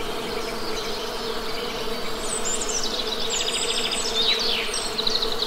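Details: Honey bees buzzing steadily in nature, a low droning hum with layered overtones, while small birds chirp and twitter high above throughout.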